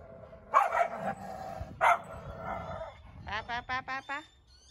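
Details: Dog from a household of Siberian Huskies out walking in the cold winter wind around home in Ubon, Thailand, stopping at houses with other dogs; two brief voiced bursts, then five quick, rising, harmonic yips in a tight run near the end.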